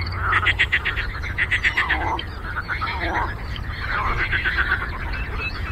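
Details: Frogs croaking on a lake: short trains of fast, evenly pulsed clicking croaks, several bursts a few seconds apart, with other frogs calling softly beneath and a constant low rumble.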